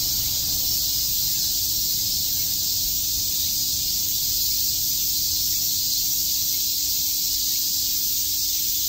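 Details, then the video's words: On a summer day in Tokyo's Shakujii Park, chirping cicadas fill the air with an even, high, sizzling wall of sound that never pauses, over a quiet low hum. "Cicada chirps"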